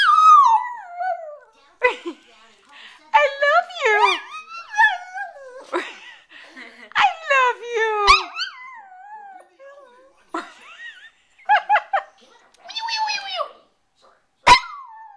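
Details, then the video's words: Lhasa Apso dog presented as talking, giving a run of whining, howl-like vocalizations: drawn-out falling and wavering tones, short yelping bursts and pauses between phrases, with quiet moments between. "MAX SPEAKS the talking Lhasa Apso"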